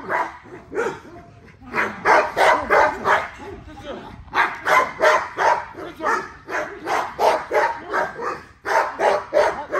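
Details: During exercise an XL American Bully barks in quick, steady bursts of about three per second, broken by two short pauses, the barks loud and rough against a quiet background.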